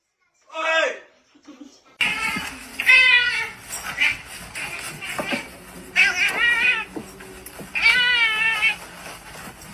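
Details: Domestic cats meowing indoors: loud, drawn-out meows recur every two to three seconds, mixed with a person talking and background music.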